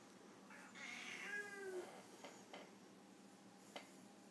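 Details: Siamese Foreign White cat in a disagreement: one drawn-out, falling meow lasting about a second, followed by a few faint clicks in a quiet indoor room.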